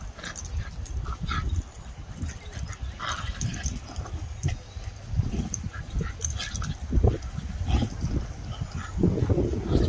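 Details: Two Italian Greyhound–Chihuahua mix dogs make low, scuffling grumbles and soft whimpering sounds, broken by a few sharper yips.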